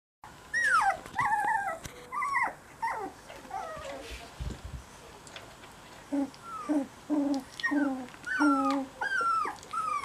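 Cocker Spaniel puppies give high, falling whines and short squeaky whimpers in quick succession.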